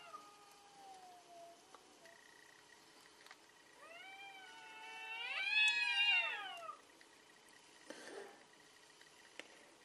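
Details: Fierce cat fight: a low, thin, wavering moan at first, then a loud yowl that climbs steeply to a peak and sinks again over about three seconds, followed by a brief scuffling noise.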